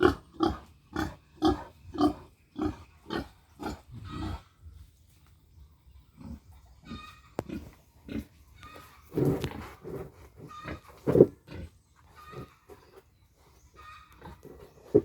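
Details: Future breeding sow in a backyard pig pen in the Philippines, grunting in a fast regular run of short rough bursts for four seconds, then scattered softer grunts, snuffling and clatter in the pen.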